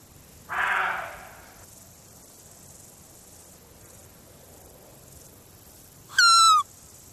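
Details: A rutting roe deer buck, in July when bucks respond to the female's plaintive call imitated with a blade of grass, answers with one harsh, hoarse bark, followed by a brief high, whistled squeak.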